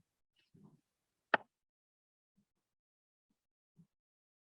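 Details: Mostly quiet, broken by a few faint low knocks and one sharp click. No animal voice can be picked out.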